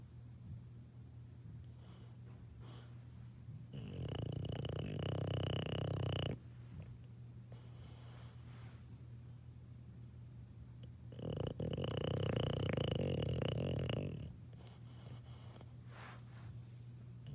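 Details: English Bulldog puppy asleep, giving two long, harsh, throaty snores a few seconds apart, with soft breathing and a constant low background hum between them.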